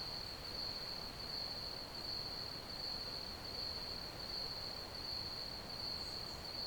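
Crickets give a steady, high-pitched trill that runs without a break over a soft hiss.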